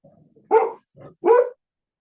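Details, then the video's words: A pet dog barks at a squirrel behind its owner, indoors during a talk: two short, harsh, loud barks about 0.7 seconds apart, with a quieter gruff sound between them and a faint low rumble beforehand. "MY dog is barking at the squirrel behind me."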